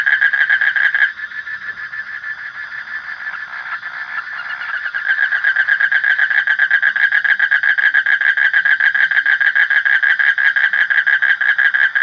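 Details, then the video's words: Frog chorus: a burst of pulsing, then a softer lull, then a strong, unbroken stream of rapid, buzzy pulses that carries on for several seconds. "Suara Kodok / Frog Sound"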